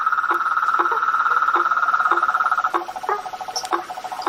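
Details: Blacksmith tree frogs calling in a swamp at night: short low knocking notes repeated roughly twice a second over a dense, steady high droning chorus that fills the background.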